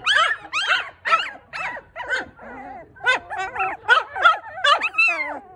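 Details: A litter of four newborn Maltipoo puppies cry in bursts of wavering, high harmonic squeals, some rising and falling, with a short pause midway before the calling resumes in quick succession.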